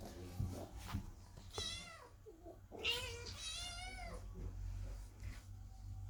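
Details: Several kittens and cats meowing under the door, anxious while the cat Chloe gives birth; a run of wavering, overlapping meows, some short and broken, some drawn out, over a low household hum.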